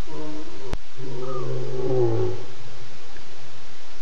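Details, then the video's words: Wild lion at night, 4:45 a.m. on 30 August, moving quickly past a pan before roaring: one deep, drawn-out groaning roar lasting about a second and a half, with quiet night background. "A lion moves quickly past the pan and then ROARS begin"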